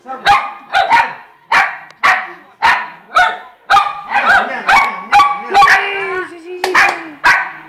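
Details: Jayme, the bigger female poodle, and Lendonn, the smaller male, bark repeatedly at an uneven pace, with a drawn-out whining note slipping between barks near the end.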